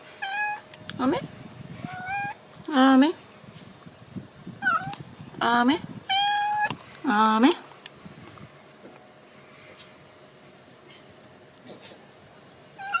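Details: Indoor cat trying to escape outside after an argument with its owner, meowing repeatedly: about six drawn-out, wavering meows spaced a second or two apart, some rising then falling, with a woman talking softly between them.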